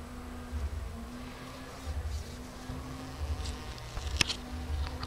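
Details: A busy bee droning in a steady low hum that holds one pitch with faint wavering, a few soft clicks and a sharp tap near the end.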